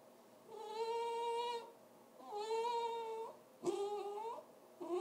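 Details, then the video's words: A pet dog making funny noises: three drawn-out, tonal yowling cries of about a second each, steady in pitch with a slight rise at the ends, then a fourth cry beginning, in a quiet small room. "Funny dog noises"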